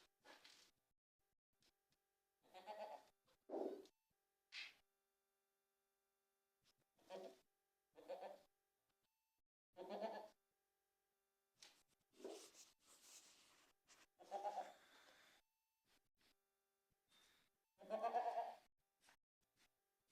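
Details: Young goat kid on a winter night, giving short nasal harmonic bleats in separate bursts, about nine across twenty seconds, some doubled, against an otherwise quiet, still background.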